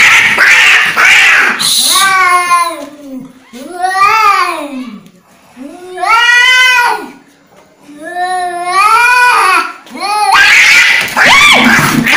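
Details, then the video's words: Angry cat indoors letting out four long, arching, moaning yowls, each swelling and falling over about one to two seconds with short pauses between, framed by harsh breathy hissing noises at the start and end. "Angry Cat sound"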